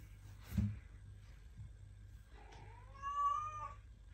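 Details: A house cat at home gives a single drawn-out meow that rises and then holds steady, after a soft thump against a quiet room hum.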